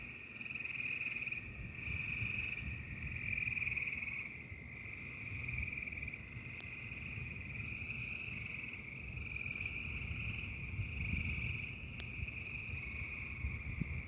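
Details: A chorus of frogs calling under a thunderstorm: a continuous shrill trill that swells and fades slightly, with a heavy low rumble beneath and a few sharp clicks.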